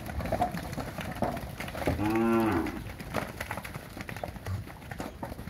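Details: Young Nelore and Nelore-cross heifers, about 15 months old, in the São José do Rio Preto region of São Paulo, Brazil; one animal gives a single drawn-out, harmonic moo of under a second, with a man speaking afterwards.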